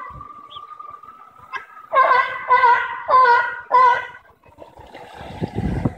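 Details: Sea lions at the Bronx Zoo, recorded September 5, 2014: one gives four loud, honking barks in quick succession over a steady background hum.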